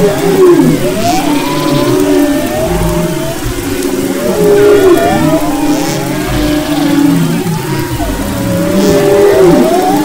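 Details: Humpback whale song recorded off the west coast of Maui, 22–24 February 2011: overlapping moans, whoops and sliding tonal sweeps rising and falling in long phrases.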